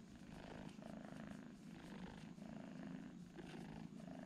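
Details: Steady low purring from twin kittens asleep together, a dense unbroken rumble with gentle pulsing strokes through the short stretch.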